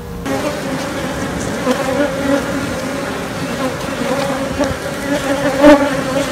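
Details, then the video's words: Honey bee colony during queen rearing, queenless, giving a steady droning hum with two strong low tones and a fainter higher overtone, holding even throughout with small swells near the end. "Making Queens - Sights and Sounds"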